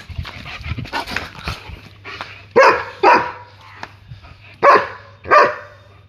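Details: German Shepherd at play, giving loud abrupt barks spaced about half a second to two seconds apart, with softer huffs and a low background hum between them.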